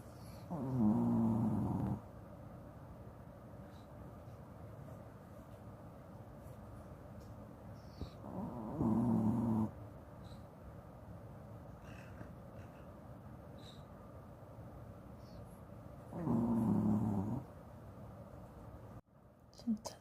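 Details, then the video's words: Big-eyed Shih Tzu snoring in deep sleep, wearing a cone after an eye infection, while a treat is offered. Three loud, low, buzzy snores arrive about every eight seconds, each lasting over a second, with quiet breathing between and a brief sharp sound near the end. "시츄 코골이"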